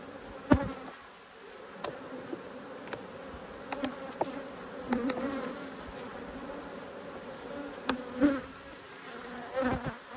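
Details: Two cranky honey bee colonies being inspected on 5 March 2022, frames holding nectar and capped cells: a constant mass drone of bees, broken by scattered taps and clunks from frame handling and close fly-by buzzes.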